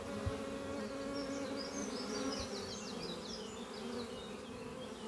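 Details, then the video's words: Spring-morning flight at a thriving beehive under trees, honey bees carrying pollen home to a horizontal hive built from an old French oak chest; continuous layered droning hum, with faint high chirping birdsong drifting over it. "Relaxing sound of bees flying at beehive Doppio on a spring morning"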